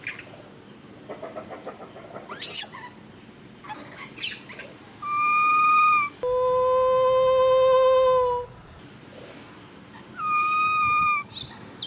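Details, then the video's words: Baby monkey Ramy, standing up, screams very loudly: three long, steady, piercing wails, the middle one lower and longest at about two seconds, with rustling and clicks between them. "Why did baby monkey Ramy stand up and scream so loud like this?"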